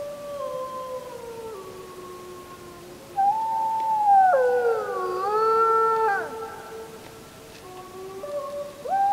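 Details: Several wolves howl together on the full-moon night of 31 July 2015, captured on a JVC Everio camcorder; long sustained tones slide and waver, voices overlapping and swelling midway before easing off, one rising again at the end.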